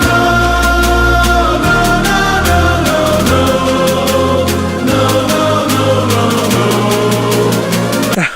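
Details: Loud music with steady beats and sustained tones, with no animal sound.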